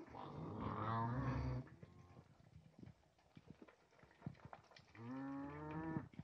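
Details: Farmed nutria in a large family enclosure after a young male was introduced to eleven females, the male guarding the food. Long low moaning, mooing calls with harmonic bands, two drawn-out bouts separated by quieter shuffling.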